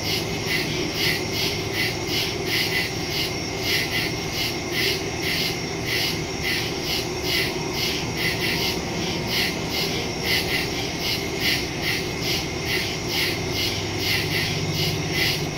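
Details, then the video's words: Crickets chirping in a nighttime forest, recorded September 2, 2023 using a Shure MV88+ stereo mic on a phone; dense, fast, regular high pulses continue unbroken throughout, over a soft low-frequency rumble. "Crickets in the woods at night"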